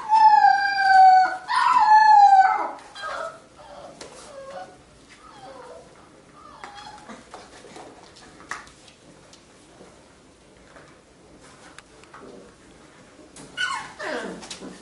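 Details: Labrador Retriever puppies of a B litter playing together, relaxed and fooling around; a high, wavering whining howl with rich overtones fills the first two seconds, then soft scuffles and clicks, with a rising whine near the end.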